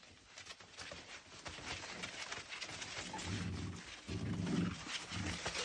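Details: Lancashire Heeler puppies in late night play with their mother before bed, indoors: low rumbling growls in short bursts toward the end, over broadband shuffling and scuffling noise.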